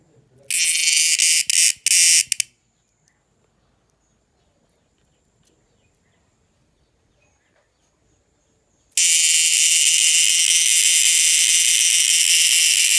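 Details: An insect, recorded on 2 December 2022 and noisy at night, gives a loud, shrill, hissing buzz in short bursts, then falls silent and starts again.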